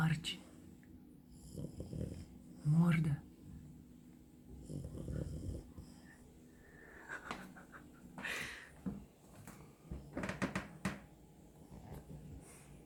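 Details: A sleeping French Bulldog snores in low, rumbling bursts while a person speaks softly nearby.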